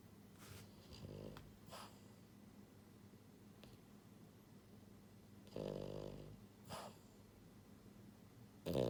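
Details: Asleep at home, Buhiko the pied female French Bulldog, born January 2022, gives loud rattling snores: a short one early, a longer grating breath midway with a lighter echo, and another beginning at the close over a faint low hum.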